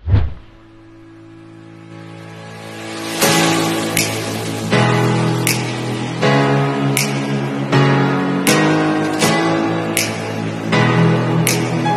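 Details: Plucked acoustic guitar music with a steady strummed rhythm and low bass notes throughout, no animal voice heard.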